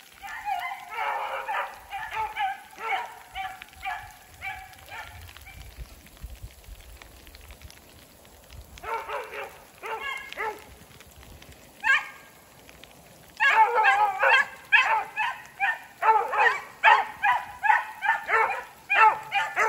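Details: Pair of hunting beagles trailing a snowshoe hare in a snowy block of woods while rain falls. Bursts of quick, ringing bays come in spurts, separated by quieter gaps, then build into a steady chorus at the end.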